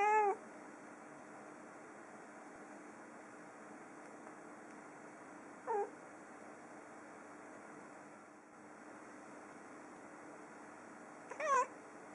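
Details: Female pet cat indoors in autumn, overwhelmed by a large crowd of birds outside and meowing from a distance away from the window: three brief, sharp meows spaced several seconds apart amid quiet room noise.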